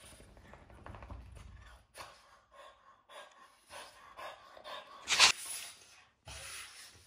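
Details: Two French Bulldogs, Isa and Hugo, playing during their morning routine before going out; heavy panting, snorts and huffing breaths in short bursts, with one sharp louder burst near the end.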